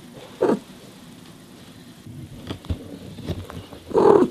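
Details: Mother cat Miyu talking to her baby kittens while caring for them; two short mid-pitched meows, one near the start and a louder, longer one at the end, with quiet rustling and faint thumps between them.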